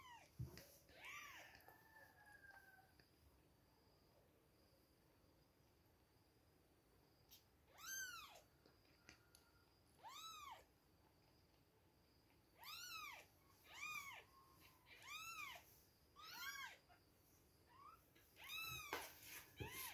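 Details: Two weeks old kittens at milk time give evenly spaced, rising-falling mews, roughly one every second or so in the second half, after a quieter opening with soft low cries.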